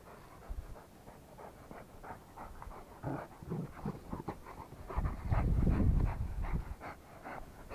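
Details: Rottweiler dog panting steadily, quick rhythmic breaths at about four per second, growing louder and heavier toward the end.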